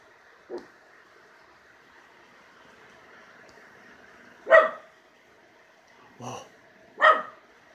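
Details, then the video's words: Miniature schnauzer Jake, acting fierce in the yard, gives a few widely spaced short barks, roughly every two to three seconds, alongside a faint person's voice and steady background hum. "What's my mini-schnauzer barking at?"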